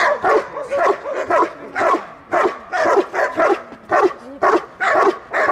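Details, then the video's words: Belgian Malinois guarding its female owner during protection training in Dyukovsky Park, Odesa, Ukraine; loud, harsh barks come in quick bursts about twice a second, with brief pauses between clusters and faint applause-like background. "Бельгийская овчарка малинуа охраняет хозяйку"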